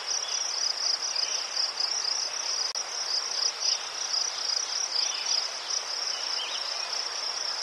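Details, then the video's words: Crickets chirping in Ukraine among chrysanthemums: dense, high-pitched rapid pulses forming a constant ringing band, a brief click near the middle, quieter chirps underneath. "Заспокійливий звук цвіркунів//The soothing sound of crickets"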